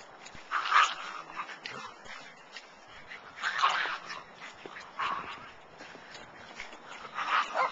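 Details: Schipperkes with tails playing in snow alongside a bigger dog; a small dog gives short, sharp yipping barks in uneven bursts, with whimpers between them.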